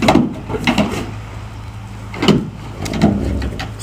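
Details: Dull knocks and scuffing thuds, like a drawer or wooden door, over a low steady hum, with no animal voice.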